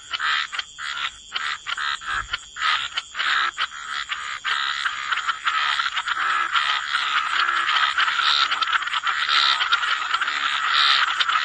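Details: Wetland frog chorus at the water's edge: separate rasping croaks at first, then merging into a dense continuous croaking wash with many frogs calling at once, a faint high steady tone behind.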